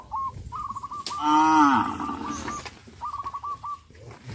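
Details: Cows on a traditional village farm, a herd that jumps the garden fence: one loud, drawn-out, slightly falling moo, with rapid repeated bird chirps before and after it.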